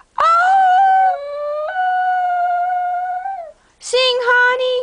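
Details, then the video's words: Pet Cocker Spaniel howling in song when urged by its owner, June 2008: one long sustained tonal howl that steps up slightly in pitch midway, falls off at the end, then a voiced prompt and another held note. "Cocker Spaniel singing"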